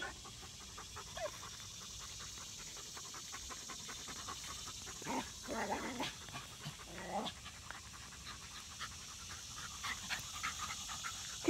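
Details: Rat terriers Zimbu and Nalla at play, long run of fast steady panting with a few louder breathy bursts midway, quiet hissing background.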